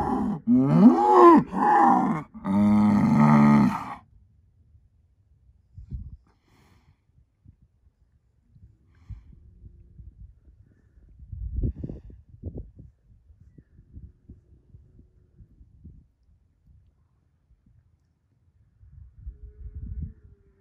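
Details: Angus herd sire bull, a son of SAV Harvestor 0338 born spring 2018, lets out two loud harmonic bellows in the first four seconds, then only quiet low rustling and thumps follow.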